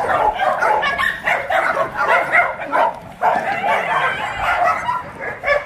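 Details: Tosa dogs at the Dandelion Shelter for abandoned dogs in Yangsan, South Korea, during exercise time: a dense chorus of overlapping barks, yips and whines from several dogs.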